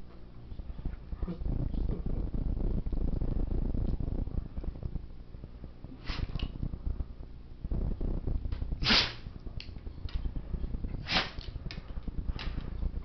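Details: Monty, a seven-year-old black Labrador Retriever, in a sneezing attack: four sharp, explosive snorting bursts near 6, 9, 11 and 12.5 seconds, the loudest at 9, over a steady low rumble of background noise.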